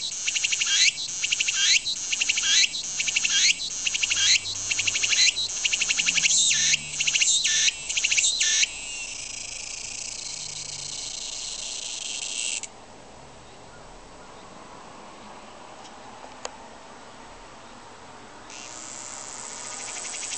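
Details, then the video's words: Japanese tsukutsukuboshi cicada song: rhythmic pulsing phrases repeated roughly twice a second for eight seconds, then a continuous shrill buzz that stops, a quiet gap, and the buzz starting again. "ツクツクボウシ -- japanese cicada "Tsuku tsuku boushi""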